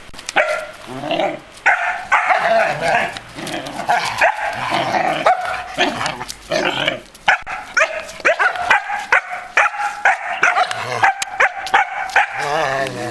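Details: Belgian Malinois, a 2.5-month-old male puppy, with a 14-year-old female Belgian Shepherd nearby. Dense, nearly continuous barking and yelping runs throughout, bursts crowding one another with brief gaps, ending in a higher whining tone.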